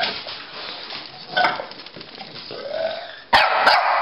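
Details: Rocky and Bully, a Pekingese and a Bulldog, in a game of chase; low muffled growls and rustling, then two sudden loud barks close together near the end.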